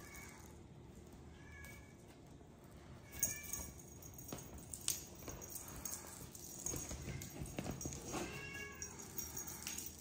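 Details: Rescued cat Miracle, grown lazy, just eating and sleeping; several rising and falling meows, some drawn out, mixed with clicks, rustling and knocking sounds against a low background rumble.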